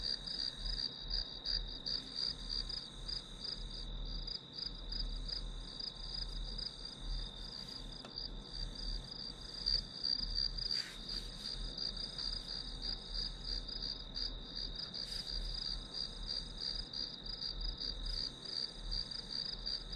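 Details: Grass insects used as white noise for a study session keep up a steady shrill trill with overlapping rhythmic chirps. Occasional sharp clicks and rustles cut through, over a low rumbling background.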